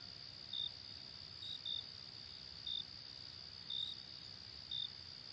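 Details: Late summer night crickets: high short chirps, some doubled, repeated about once a second, layered over an unbroken high-pitched insect drone.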